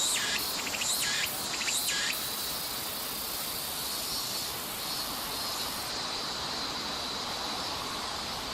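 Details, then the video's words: Tsuku-tsuku-boshi cicada in Nishi Park, Sendai, Miyagi, Japan, summer, 14 August 2014: a few quick pulsed phrases in the first two seconds, then a continuous high buzzing drone holding to the end. "Japanese Summer Sound (Tuku-Tuku-Boshi Cicada) ツクツクボウシの鳴き声３コーラス分"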